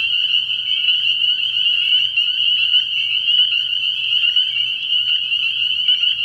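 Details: A frog pond at night in early spring, alive with spring peepers. Their piercing high peeps pile up densely and continuously, pulsing slightly in intensity, over a weak low-pitched hum.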